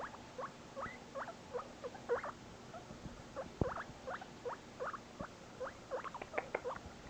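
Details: Separated from his companion Barbock, the new pet guinea pig Shinobi keeps up a series of short, sharply rising squeaks at an uneven but quick pace, with a faint low hum behind.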